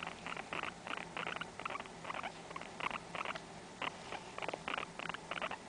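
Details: Short bursts of quick, buzzy chirps come in a rapid, uneven series from Blizzard, a pet guinea pig born 5-10-05, recorded indoors in a small room.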